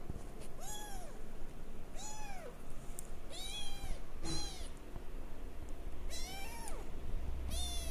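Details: Six plaintive mews from a male Singapura kitten aged 22 days, born 28 January 2013, each a high curved cry rising and dropping, evenly spaced about one second apart, with faint low hum underneath.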